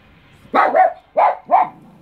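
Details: West Highland White Terrier confronting a mantis, letting out four sharp, loud barks in quick succession within about a second, the first two close together, then a short pause before the last pair.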